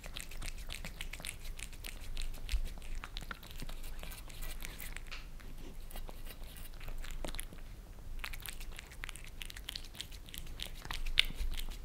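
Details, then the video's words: Creamy treats being licked off glass by two house cats, a Maine Coon and a British Shorthair, filmed from beneath in Germany; rapid crisp wet ticks in long runs, a brief lull near the eighth second, then renewed lapping. "Cats licking creamy treats on glass table"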